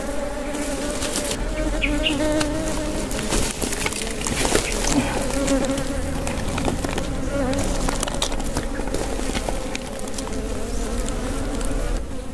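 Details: Wild honey bees buzzing as their nest is harvested for honey in the Philippines, a continuous dense drone with shifting tones, alongside crackling, scraping and rustling from the work.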